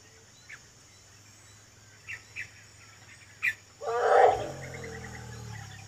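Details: Wild Sumatran elephants from a herd in East Aceh, Sumatra, Indonesia: a single loud, harsh trumpeting blast about half a second long, then a fading rumbly tail, after a few faint bird chirps in a quiet natural setting.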